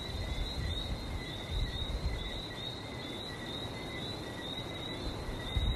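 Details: Frog chorus in Barbados near the sea: a steady, shrill high-pitched trill holding one pitch with a fainter overtone, wavering slightly throughout, over a constant low rumble of surf.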